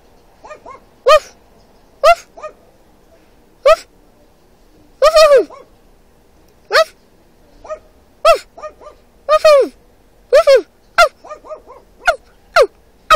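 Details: A dog in a neighbouring car answers a man copying its bark. Loud, high, clipped barks sound singly and in tight bursts of three or four over about thirteen seconds, with quiet gaps between.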